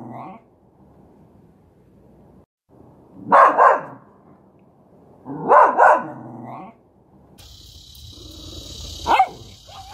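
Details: Miniature Schnauzer giving a faint yip, then two strong double barks a couple of seconds apart. A single bark follows over a steady high hiss and rumbling background noise.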